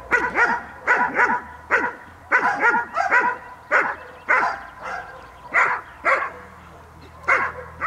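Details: Training session of the dog Cola Gel.vilkas (Figo vom Nordteich × Tulpi Gel.vilkas), 5 May 2015: continuous strong barking, often in doubled barks, keeps up for eight seconds with little pause.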